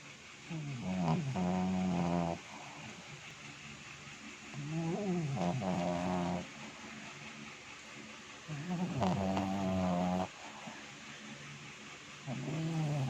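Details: Pet dog snoring loudly while asleep, tired out after playing; deep, rasping, harmonic snores lasting about a second and a half, repeating roughly every four seconds in a steady rhythm, with quiet breathing between and faint room hiss.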